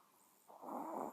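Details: Sleeping Chihuahua giving one raspy snore, a breathy rasping burst lasting about half a second that starts after a quiet moment.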